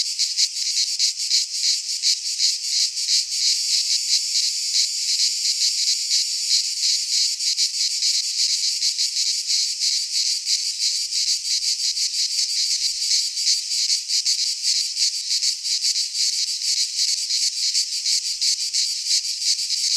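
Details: Cicadas singing in midsummer in a Greek pine forest: a dense, continuous buzzing drone high in pitch, steady and loud, with rapid faint pulsing throughout and nothing else audible.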